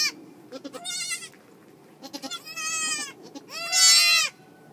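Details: Goat at a farm during a March birth, the mother giving birth; three bleats growing louder, the last long and strong, each preceded by soft clicks and rustles.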